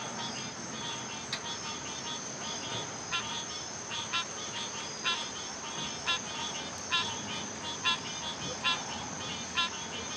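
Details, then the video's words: Chorus of frogs giving short, irregularly spaced pulsed notes with ringing overtones, set against a steady shrill insect drone throughout. "Frogs making music"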